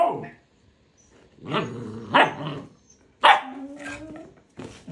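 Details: Huskies Max and puppy Balto indoors, the puppy pestering Max to play with a toy chicken; short barks alternate with a drawn-out, slightly rising whine that wavers, with silent gaps between outbursts.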